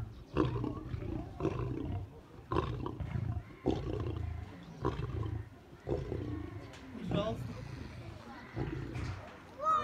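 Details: Two captive white lions in the middle lion enclosure of a Crimean park quarrelling over treats: repeated low, throaty growls and snarls roughly every second, with rustling and a human voice between bursts.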